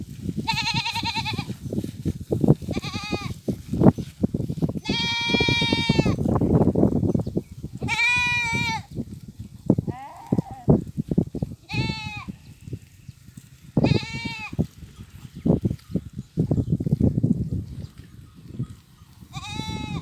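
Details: Goats grazing in farm fields among sheep, cows and mating goats, giving repeated loud nasal bleats, each about a second long, some wavering, spaced every one to three seconds, over low rustling and trampling of the herd.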